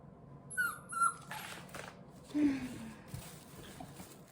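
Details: Two-month-old puppy indoors, two brief thin high whimpers in quick succession, then a lower, fading whine, with soft handling noises and light room sounds.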